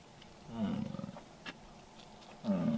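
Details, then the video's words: American bison during the rut in Yellowstone, Wyoming: two deep, rough, harmonic roars, the first pulsing for about a second and the second starting near the end, with quiet open-air background. "Bison rut in Yellowstone"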